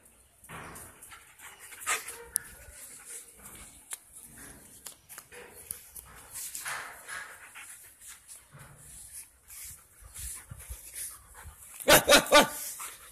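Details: Drogo, a five-month-old double-coated male German Shepherd getting used to his new house, gives scattered short barks and whines while being called, ending in a louder burst of barks near the close.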